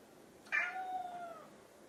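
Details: Indoor pet cat, Chai the orange tabby or Sushi the silver tabby, pleading for food when hungry: a single meow that starts bright and slowly falls in pitch as it trails off over about a second.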